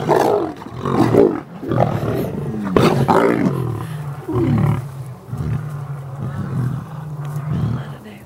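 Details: Captive lions at the South African Lion Park in Johannesburg, being fed a snack: deep, drawn-out low rumbling roars and growls, with a steady low moan in the second half, mixed with nearby human voices.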